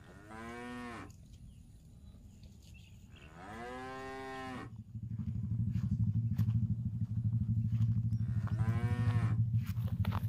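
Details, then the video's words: Cattle roaming a fresh grassy park while grazing: three deep, drawn-out moos, each about a second long, spaced several seconds apart, over a steady low rumbling background that grows louder in the second half. "Suara Sapi Lembu Makan Rumput"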